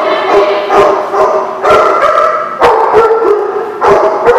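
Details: Dogs barking in a group, 22 October 2016. Layered, overlapping barks rise and fall in uneven waves, with sharp higher yips over a steady mass of barking and no clear pauses.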